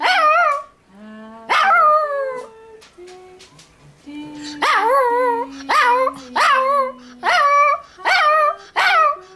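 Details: Female pet Toy Fox Terrier singing along to Happy Birthday, with wavering, yodelling howls and yips rising and falling in bursts about every second, while a steady lower human singing voice carries the tune beneath.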